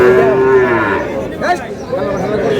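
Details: At a Mymensingh cattle market in Bangladesh on 7 May, a Sahiwal bull calf gives a steady moo lasting under a second, followed by curving, wavering lows amid market voices and noise.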